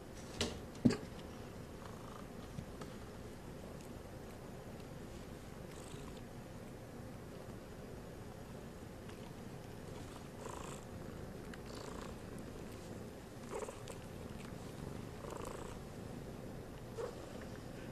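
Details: Traditional Siamese kittens, still too young to go out into the world, lying in a basket: a soft, low, steady purr runs throughout, with a sharp click near the start and a few faint brief mews later.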